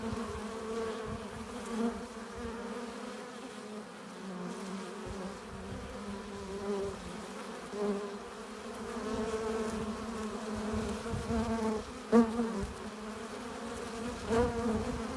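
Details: Many honey bees buzzing at the hive entrance as foragers return with pollen and nectar; a layered steady drone with wavering tones and occasional louder close fly-bys, especially near the end.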